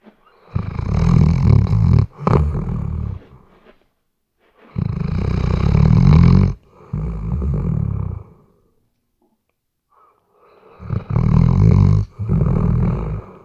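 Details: Weimaraner dog snoring in its sleep, recorded on a RODE NTG3B microphone; loud, throaty rumbling snores come in repeated bursts of one to two seconds, with short silent pauses between breaths.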